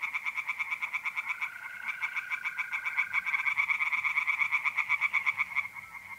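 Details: Night chorus of tree frogs in a pond, North-East Italy, mid April: fast, regular pulsed croaking from several frogs, joined partway through by a sustained mole cricket trill that fades after a few seconds.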